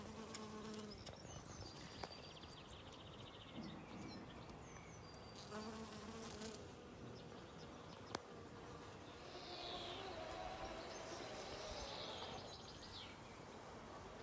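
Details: Honey bees in a yard collecting pollen and nectar on the first warm spring day, above 12°C. A low, steady droning hum with layered tones swells and fades as bees pass, while scattered bird chirps and whistles sound above.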